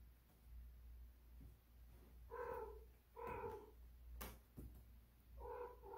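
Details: Domestic cat giving drawn-out, moaning calls, three long wavering yowls about a second apart plus a shorter one at the end, over a low steady hum and a sharp click.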